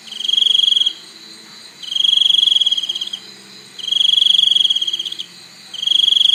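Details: Crickets calling: loud, high, pulsing trills of about one second each, repeated roughly every two seconds, four bouts with quiet gaps between them.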